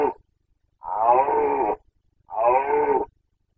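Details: During the 2021 breeding season a Carpathian stag gives boncănit roars: two long, hoarse, harmonic bellows of about a second each, separated by a short gap, with the tail of an earlier roar at the start.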